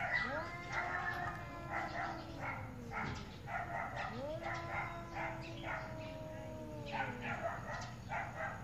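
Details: ['Angry cats arguing with each other, meowing very loudly; long, wavering, drawn-out yowls that rise then slowly fall, several in succession, with background noise.']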